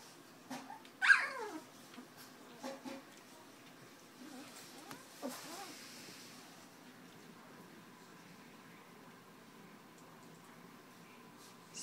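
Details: Two-week-old puppies with eyes just opening, starting to walk, indoors: a few short high squeals that slide downward, the loudest near the start, then quieter whimpers amid soft rustling and a person's voice.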